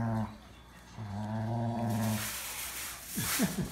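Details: Domestic dogs in daily dominance play that maintains their pack relationship: low, steady rumbling growls, one brief and one longer of about a second, followed by harsher, noisier growling with short sharp bursts near the end.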